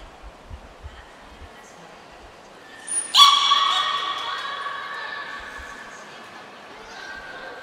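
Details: Niko, a captive beluga, during a training session at Port of Nagoya Public Aquarium on 25 February 2024. A brief high whistle comes first, then a sharp, harmonic, squealing cry that trails off into a softer buzzy tone, with faint knocks before it.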